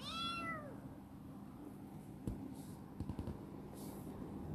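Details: A rescued female black cat named Chibikuro, a former stray now affectionate and living in a warehouse, lets out one short falling meow at the start, followed by quiet room hum and a few soft knocks.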